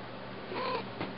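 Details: Indoor female pet cat answers her owner's urging with one brief, soft meow, a single short tonal note that is quiet against steady room hum.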